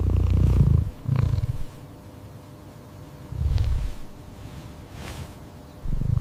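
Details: Domestic cat purring: deep, low rumbling pulses in rounded bursts roughly every one to two seconds, separated by quieter gaps, with faint thin clicks above.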